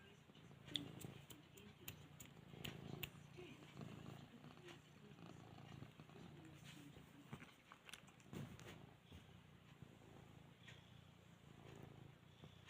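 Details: Domestic cat trying to nap indoors, purring and yawning: a soft low continuous rumbling purr pulsing steadily, with faint clicks and brief rustles scattered over it, quiet and close.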